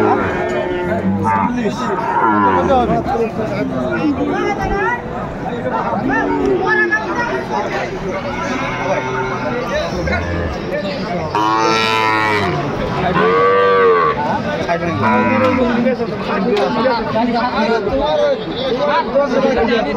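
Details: Sahiwal bull calves traded at a cattle market in Sylhet, Bangladesh, 11 January 2025: repeated moos and bellows from many calves over twenty seconds, loudest near the middle, over constant crowd talk.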